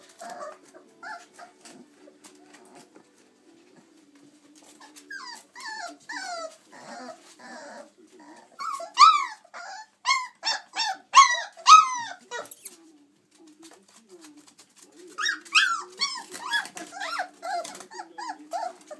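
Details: Litter of six chocolate Labrador Retriever puppies aged 26 days playing and climbing from the whelping box; soft whines build into loud clusters of sharp rising yelps, repeated in quick runs, with a pause before more yipping.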